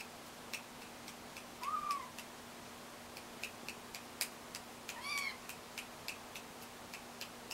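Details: Kittens learning to walk give two soft, arching meows a few seconds apart, the second higher and brighter, over a steady background of fine ticking and tapping clicks.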